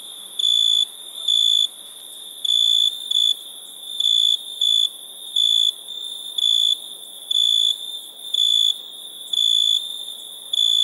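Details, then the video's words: Chirping crickets at night: a run of about a dozen high, even-pitched pulses, roughly one per second, some split into quick double bursts, over a low background hiss. "Relaxing Chirping Crickets for Sleep Therapy, Meditation and Study"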